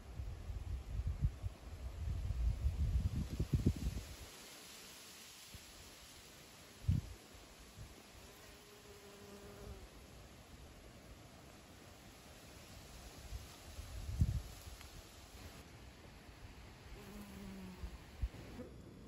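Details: Honey bees taking honey into their hive: a low droning buzz with short tonal passes from bees flying near, mixed with loud low rumbling bursts early on and at intervals.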